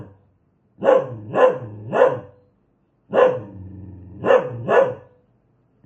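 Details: Hostile dog letting out a quick triple bark, a pause, then more barks with a low growl bridging them; a clean recording with no other sounds.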